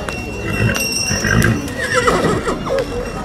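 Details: Horse at a horse show, described as naughty: a short whinny with wavering tones rising and falling, alongside hoof clip-clops, crowd chatter and a faint music background.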